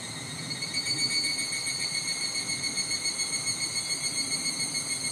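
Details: Higurashi cicadas calling in a Japanese summer at Nishigo village, Fukushima Prefecture: a steady high shimmering chorus of stacked ringing tones, pulsing about four times a second, over faint low wind rumble.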